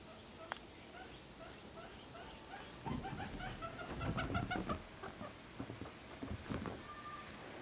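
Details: A guinea pig running fast gives quick, clucking squeaks, repeated rapidly over soft thumping.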